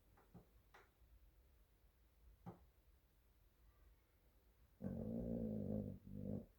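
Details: Sleeping spotted dog lying on an office floor, recorded indoors. After several seconds of faint room noise with a few light taps, one long low buzzy snore is followed by a shorter second rumble.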